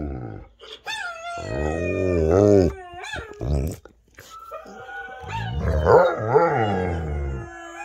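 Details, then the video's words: A Rottweiler howls along while listening to other dogs howling, in long, wavering tones that rise and fall, broken by short gaps. "Rottweiler Howling"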